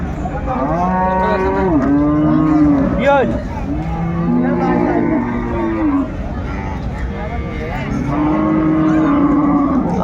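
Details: Cows with calves at Ambari cattle market, Dinajpur, Bangladesh, on Friday 17 January 2025: several long, drawn-out moos, each bending down at the end, one after another with little pause between them.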